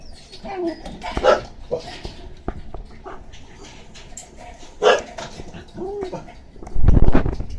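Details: Red-coated female Shiba Inu puppy, 48 days old, born 9 April 2014, at a breeder in Osaka on 27 May: short high whines and yelps scattered through, with a curved squeal near the end, then a loud thump.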